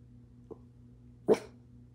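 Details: A Boston Terrier "protecting" its family from a running clothes dryer gives a soft huff, then one sharp, loud protective bark over the dryer's steady mechanical hum.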